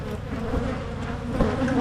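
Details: Honeybees in an opened Michigan hive, disturbed while a beekeeper starts splits to keep the colony from swarming: a dense, steady droning buzz with a low hum and rising swells of wingbeat noise.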